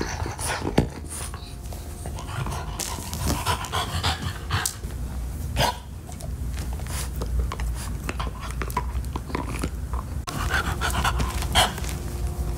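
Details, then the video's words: French Bulldog named Max indoors, gnawing a beef-flavored Nylabone chew toy: dense wet crunching and clicking bites mixed with breathy panting, one sharp knock early on, over a steady low room hum. "French Bulldog ASMR: Chewing Nylabone Beef Flavored Chew Toy"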